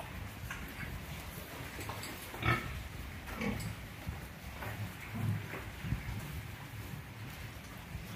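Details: Short, deep grunts from F1 crossbred pigs destined to become breeding sows, Orobó, Pernambuco, Brazil, spaced a second or so apart, with sharp knocks and clicks standing out at intervals.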